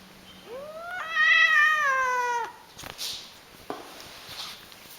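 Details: Pet cat screaming indoors: one loud, drawn-out yowl of about two seconds that rises at the start, then wavers and sags slightly. Soft rustling and faint room noise follow.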